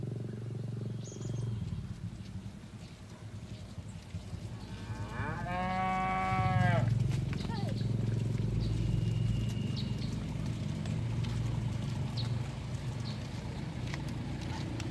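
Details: Herd of cattle grazing in a green field; one long harmonic moo rises and falls around six seconds, with steady low rumble and faint bird chirps in the background.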